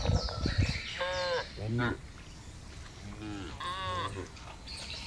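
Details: Cattle herded across a broad grassland, several short wavering moos from different animals scattered through the clip, with low rumbling and thumping noise of the moving herd underneath.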